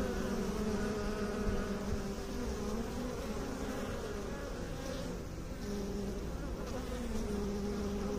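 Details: Honey bee buzzing, a low, even drone with overtones whose pitch wavers slightly as individual bees pass, continuous throughout with no other noises.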